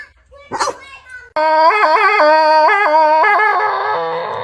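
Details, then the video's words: Pet dog making strange, unusual noises at home after being let out to go potty; a long wavering howl-like vocalization with stepped pitch changes, sustained for about three seconds after a brief sharp yelp. "The dog made strange noises"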